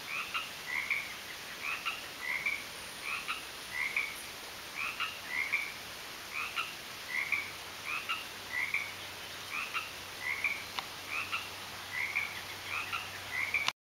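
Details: In a garden, frogs keep up a regular series of brief, bright croaking chirps, about two dozen in fourteen seconds, evenly spaced with occasional doubled notes, accompanied by a continuous thin high hiss.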